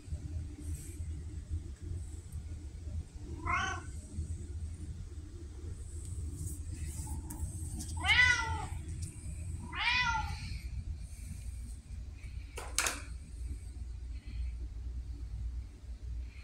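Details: Three separate meows from Pumpkin, a sweet, vocal female red tabby kept indoors, October 2023: a short thin one, then two fuller drawn-out cries close together, with a sharp click later and a constant low room rumble.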